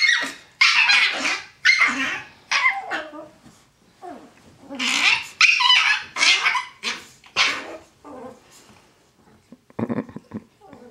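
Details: Brown and black Chihuahuas rough each other up in play on a bed. Harsh growls and snappy barks come in uneven bursts about once a second, with pauses between them, while a person urges them on.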